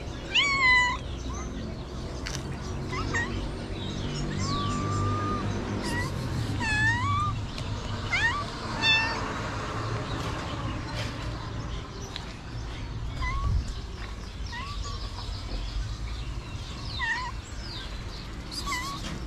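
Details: Stray street cats in Morocco meowing for food, several high, rising-falling meows in bursts near the start and middle, fewer later, over steady low background rumble of outdoor noise.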